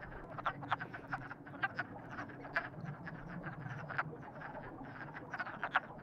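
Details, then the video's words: Frogs croaking in a crowded chorus, presented as frogs in love; short rasping croaks repeat quickly and overlap, some louder calls standing out every second or so. "Frogs in Love"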